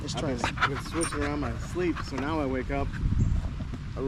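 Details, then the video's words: Staffordshire Bull Terrier among other male dogs on a long evening at the park, a 'wolf pack chat': tonal whines rising and falling in short wavering arcs, several in quick succession over a steady low rumble. "Long evening at the park male wolf pack chat"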